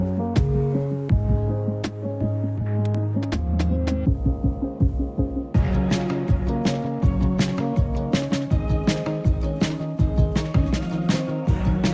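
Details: Instrumental music plays throughout with a steady beat and low bass notes; no animal voice stands out.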